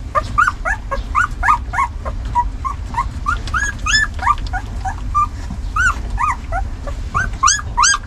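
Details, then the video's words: Hungry puppies squabbling over dinner: a dense chorus of high, arching whimpers and squeaky yips, several voices overlapping, each cry rising then falling, packed closely with almost no pause, over a low rumbling background. "PUPPIES FIGHTING,Hungry Puppies Battle for Dinner"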